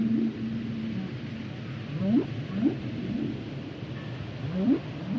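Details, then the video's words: Song of a humpback whale, starting with a level droning tone, followed by a series of rising whoops spaced roughly every half second to two seconds, low and resonant against steady underwater background noise. "Sounds and Songs Of The Humpback Whales"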